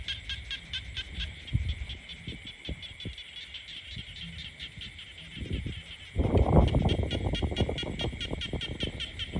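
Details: In peaceful countryside, a chorus of frogs gives a steady, high, rapidly pulsing trill over low rumbling noise.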